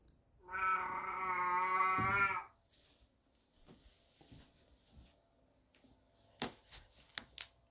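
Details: Calico cat Baby lets out one loud, sustained, wavering meow of about two seconds to get attention, followed by quiet with faint rustling and a few soft clicks and taps; Buddy, a black cat, watches outside from the window nearby.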